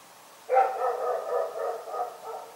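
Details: A dog barking in the night: an abrupt, harmonic, slightly whining bark runs into a string of about five wavering, merged barks over two seconds, with a steady low hiss behind.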